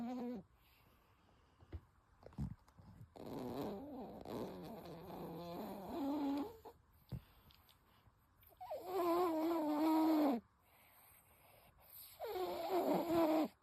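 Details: Toy Poodle named Ichigo snoring loudly, a snore likened to a middle-aged man's: three long, droning, wavering nasal tones of a few seconds each, separated by quiet breathing and a few soft knocks.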